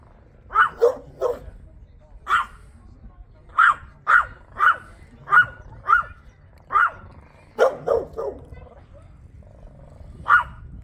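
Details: Chihuahua in Burgerveen barking to guard an eel sandwich, around fifteen piercing short yaps, some doubled into rapid bursts with a growly lower edge, separated by brief pauses against a soft low hum.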